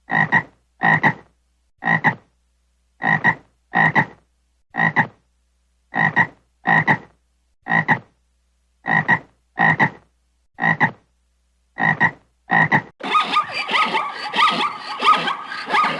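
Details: Frog calling with a long series of short rasping double-pulsed croaks, about one per second for roughly thirteen seconds, then a different dense, noisy sound takes over at the end.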